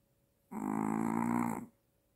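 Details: Maltese dog snoring loudly with apnea, a single sustained buzzy rattling snore just over a second long.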